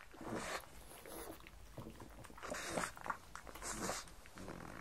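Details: Indoor pug Mars eating croutons and bacon for breakfast: bursts of breathy sniffing and crunching, about one each second, loudest near the middle, with a steady low background hum.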